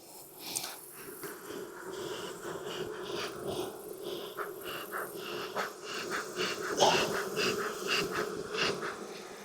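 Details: Inspection of a thriving honey bee hive in hot Texas weather: a steady mid-low buzz of many bees beneath repeated sharp clicks and taps from frames being handled.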